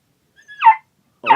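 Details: Labrador Retriever puppy vocalizing while coaxed to keep talking: a short high whine that swells and falls, then after a half-second pause a second brief, rougher yelp-like cry. Room otherwise quiet.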